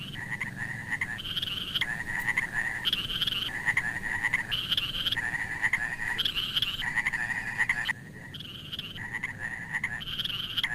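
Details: Frogs calling in a water channel in the rainy season, in steady, rasping pulses that alternate between a lower and a higher pitched note.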